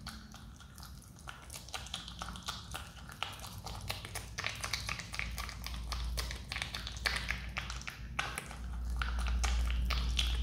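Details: A pet Himalayan marmot chews a banana noisily, a quick run of wet, crunchy clicks over a low hum.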